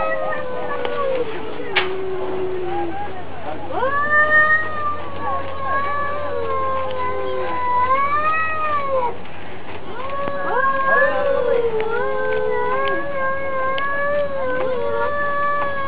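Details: Cat versus cat in a neighbourhood turf fight, the two trading long, moaning caterwauls that swell, waver and fall, overlapping again and again over steady low background hum.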